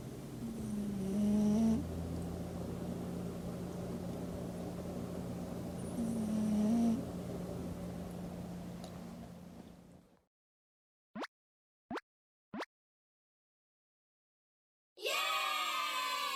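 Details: A sleeping house cat snoring on the first weekend of 2021, indoors: two low, buzzy snoring breaths about five seconds apart over a constant low hum, then silence, three sharp clicks and a brief harmonic-rich sound at the end.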